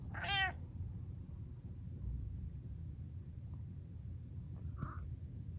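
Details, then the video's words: Pet cat trying to meow like an ordinary cat gives one short, bright meow at the start, followed by quiet room hum and a brief soft knock near the end. "My Cat Tries To Meow Like A Normal Cat"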